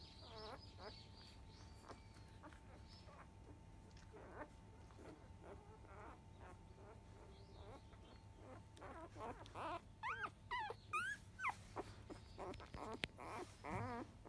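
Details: Five-day-old field-line Labrador Retriever puppies of biscuit, a 2017 JFA Grand Champion, at 10 a.m. nursing: quiet at first, then high squeaky whines with wavering pitch from about nine seconds on, coming in short bursts over a steady low hum.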